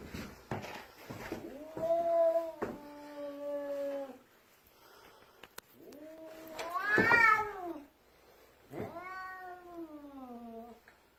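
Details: Indoor cat that won't let its owner pass down the stairs gives several long, plaintive, wavering yowls, one swelling louder and rising, the last sliding downward, amid thumps and a man's voice.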